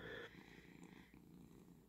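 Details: Indoor pet cat that pats its owner's head with a paw at dawn to get food, purring. A low, even rumble is heard, with a brief brighter noise at the very start.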